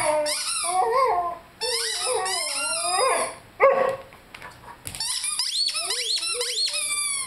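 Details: Five-month-old Rhodesian Ridgeback puppy howling while playing with a squeaky chicken toy: wavering, sliding yowls in several bursts, mixed with high squeaks from the toy, a short sharp yelp near the middle.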